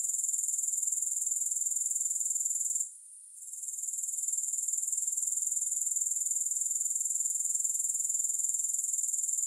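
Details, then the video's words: Shrill, rapidly pulsing grasshopper chorus, high and even, with a short dip to near silence around the third second before resuming steadily; no music accompanies it. "3 Hours of Grass Hopper Sounds"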